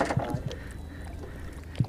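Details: A large bull red drum caught while river fishing in strong current gives deep, short knocks, three in quick succession and a fourth after a pause, over splashing water and faint hull noise.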